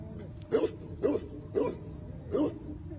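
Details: Tibetan Mastiff barking four times in a steady rhythm, roughly every half second, each bark short and sharp.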